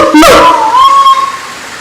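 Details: Siamang at Taman Kyai Langgeng, Magelang, Indonesia, giving a single loud tonal call that leaps up, then holds a wavering, sliding note before fading, with rich harmonics.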